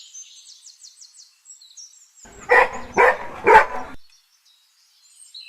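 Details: Golden Retriever facing a balloon that scares it, giving three sharp, harsh barks about half a second apart, with soft high bird chirps twittering in the background before and after.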